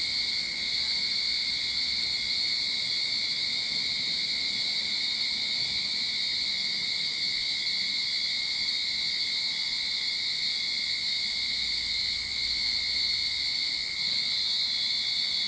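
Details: Cicada song recorded in a Sydney backyard at summer's start: a relentless high droning buzz with steady shrill overtones, continuous and even from start to finish.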